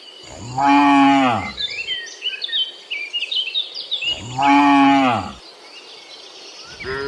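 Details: Tame cattle in a forest give two loud, rich moos about four seconds apart, each lowing call swelling and then falling away, while birds twitter steadily through the pause between them.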